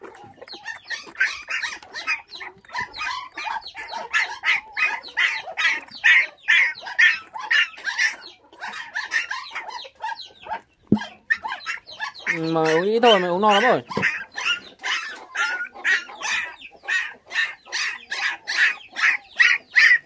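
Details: A litter of five puppies, left motherless at six days old when thieves stole the mother dog and raised on bottled milk, cries in fast, regular high-pitched squeaks, about two per second, briefly overlapped midway by a human voice.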